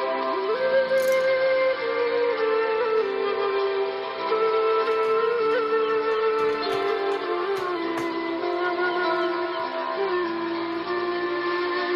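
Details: Sustained instrumental music with a flute-like melody over held tones, and no animal sound heard.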